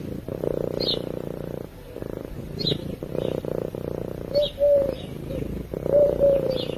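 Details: Cat asleep and purring, picked up by a microphone: a continuous rough rumble in repeated breath cycles with short pauses, while soft bird chirps and a few clear whistled notes from birds come through in the background.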